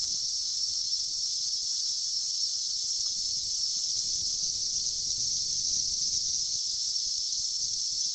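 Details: A swarm of cicadas emerging after a 17-year sleep, filmed in 2004, produces a steady piercing high buzz without pause, with soft low handling noise underneath.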